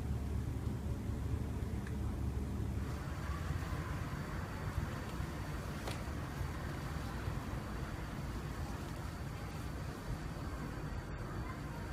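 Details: Steady low rumbling noise, like a vehicle or engine, runs throughout, with no animal sound.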